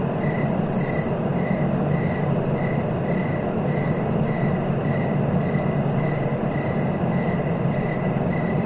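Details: Cricket chirping steadily, short pulsed chirps repeating about twice per second, with a fainter higher shimmer above, over a constant low rumbling background.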